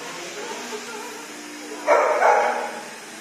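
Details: Kenko, a female dog taken to a dog shower called Nose to Tail and very scared at first, gives one short, hoarse bark near the two-second mark after quiet background hum.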